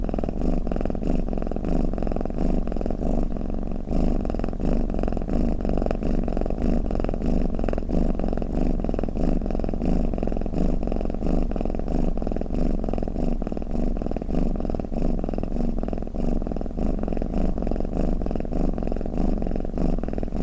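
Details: Snoring, purring cat giving a continuous deep rumbling drone made of rapid throbbing pulses, unbroken and even in volume for the whole stretch, with no other sounds.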